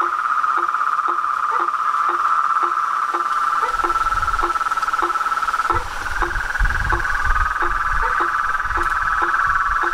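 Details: Frogs and toads calling together: an unbroken buzzy trill that rises slightly in pitch halfway, with regular low knocks about twice a second and some soft low rumbling underneath.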